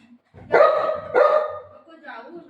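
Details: Pet Golden Retriever reacting angrily after its owner says she is leaving it: two drawn-out, wavering, moaning whines with a short gap between them, followed by a woman's soft voice.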